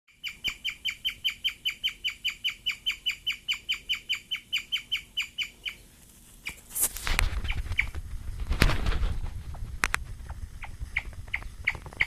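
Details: Excited female guinea pig eating wheatgrass for the first time, chirping like a bird: a fast, steady run of short, high, ringing chirps for about six seconds, then they stop and give way to rustling and handling noise with scattered clicks.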